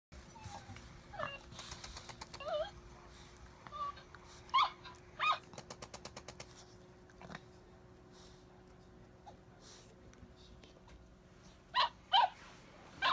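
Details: Cavalier King Charles Spaniel Rino playing with Kiga and showing jealousy indoors: short high whimpering yelps scattered through the clip, some in pairs, with bursts of rapid clicking and a steady low hum.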